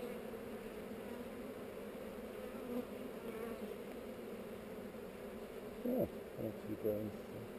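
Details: Colony of honey bees on heather, hive opened for inspection and recorded on a GoPro; continuous low, layered buzzing from many workers, with a few short bumps and handling knocks toward the end.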